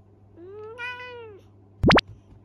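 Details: Young male Minuet cat mumbling an excuse indoors after a scolding for mischief: a single rising-then-level mew of about one second with rich harmonics, followed by two quick upward-sweeping synthetic effect sounds.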